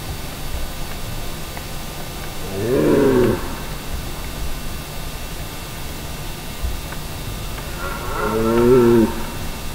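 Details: Red deer stag bellowing during the mating rut in Val di Pejo, Stelvio National Park, Trentino, Italy; two separate deep, harmonic, moaning roars about five seconds apart, each roughly a second long, over quiet background hiss.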